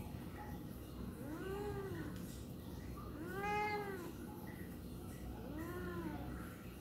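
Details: Tabby cat complaining, giving three drawn-out, arching meows spaced about two seconds apart, each rising then falling in pitch, over a low background hum indoors.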